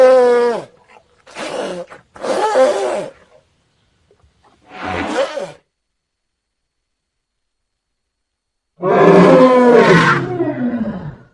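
A young elephant gives several harsh, harmonic squealing calls, each falling in pitch, separated by silences.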